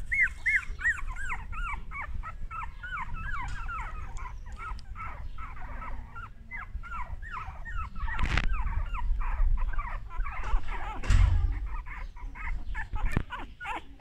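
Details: A solid-golden male English Cocker Spaniel puppy gives a steady stream of thin, arched whimpers and squeaky yips.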